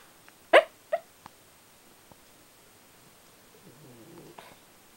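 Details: Shiba Inu dog talking in its sleep and sounding angry while asleep: two short, sharp yelping bursts near the start, then a faint, low, rumbling growl-like murmur toward the end, all in a quiet indoor setting.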